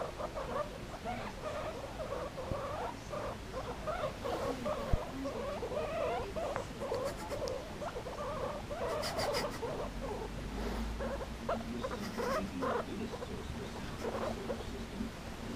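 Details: Two pet guinea pigs named Cho and Pea playing around with an old slipper, giving a steady run of short, soft squeaks and chirps at mid pitch, with a few faint higher clicks and rustling underneath.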